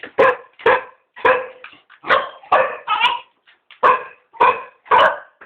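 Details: Three cocker spaniels begging to be taken for a walk: loud, sharp barks repeated about twice a second, roughly ten in a row with short silent gaps between them.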